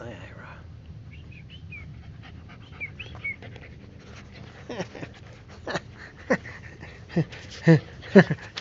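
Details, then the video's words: Playful puppy roughhousing indoors with Ira the husky: thin high whines at first, then a run of short sharp yips and growly barks that grow louder toward the end, with a person talking over the play. "PUPPY ATTACK!!!"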